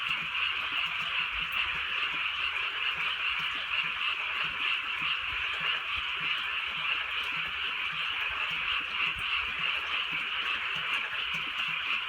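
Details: Many frogs croak at once in the countryside at night while a light rain falls, their calls merging into a constant bright buzzing chorus with slight pulsing throughout.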